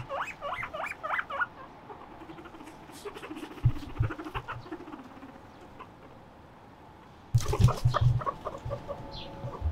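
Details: Two guinea pigs, Moruhei and Mokohei, playing on a balcony while one flips over a low table: a quick run of short, bright squeaks at first, then scattered thumps and clattering, and a loud rattling burst near the end.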